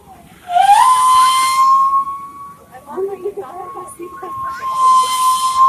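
A walrus produces a sustained, pure whistle that rises briefly at the start, then holds level for several seconds. Faint voices murmur underneath, and a breathy hiss joins near the end.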